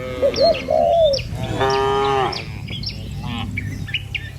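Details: Cattle being driven down a countryside village road lined with trees and rice paddies, heading for the pen. A single loud, drawn-out, even moo dominates, with short rising calls before it and light bird chirping throughout.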